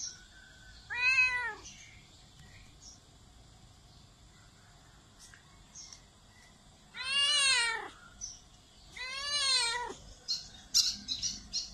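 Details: Cat meowing loudly: one short meow, then after a pause two longer wavering meows in quick succession, followed by faint clicks and rustling.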